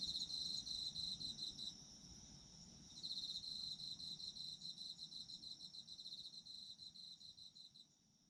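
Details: Autumn insects for restful listening: shrill, rapidly pulsed trills around four per second, a brief lull after the opening, then a long steady run of chirps that fades away at the close.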